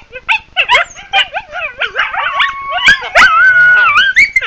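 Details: Coyotes in the wild giving rapid, choppy yips and barks in quick succession, then a sustained wavering howl rises over the chattering group.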